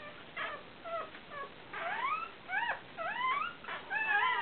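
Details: Day-old Fell terrier puppies, broken-coated Patterdale terriers born 29/7/12, a litter of four males and one female, crying in clear rising squeals and whimpers, several upswept and wavering, coming in quick bursts.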